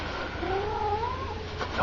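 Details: Old pet cat high on catnip giving a drawn-out wavering yowl that rises and falls, with a man talking faintly in the background.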